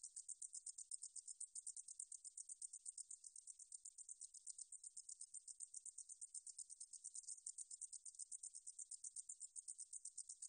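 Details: Deungjul-eori-ssaekssaegi katydid recorded for Korea's National Institute of Biological Resources in 2020, singing a steady train of very high, dry buzzy pulses, rapid and regular, with no other sounds.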